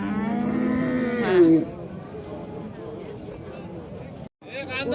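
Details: Bull at a livestock market in Shahrihon, offered for sale. It gives one loud, drawn-out moo that rises and then falls, lasting about a second and a half. Men talk about prices in the background.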